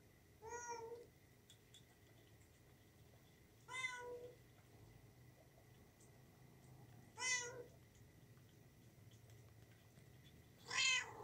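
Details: Young cat giving four brief, bright meows spaced about three to four seconds apart, each short and rising slightly, against a quiet indoor background hum.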